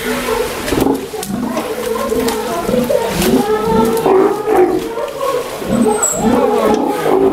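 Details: Young Steller sea lion, one year old, at an aquarium in Ise, Japan, making rough, moaning roars that rise and fall in pitch, closely spaced and continuous, with a faint high squeak near the end.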